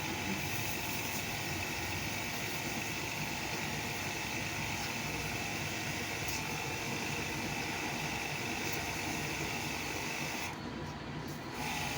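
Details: A steady broadband hiss with an engine-like hum runs throughout, and no animal voice can be picked out.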